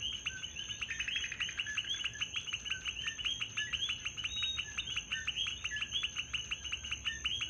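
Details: Coqui frogs calling in Puerto Rico, a dense chorus of many overlapping short, bright two-part chirps repeated rapidly and without pause, with a steady high insect whine running above throughout.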